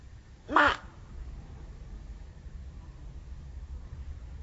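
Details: An angry Pacman frog, shown in slow motion, lets out one short, harsh, harmonic squawk lasting under half a second, followed by quiet background hiss.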